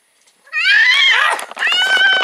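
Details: Cats during copulation, a little female and a big cat together, give a loud harmonic yowl that starts after silence, rises and swells, dips briefly, then resumes as a sustained wavering cry.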